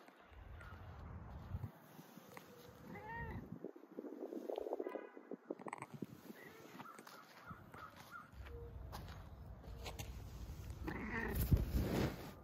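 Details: Siberian cats bumping affectionately, with two short harmonic meows around three and eleven seconds, a few soft chirps between them, and a steady low rumble and rustling throughout.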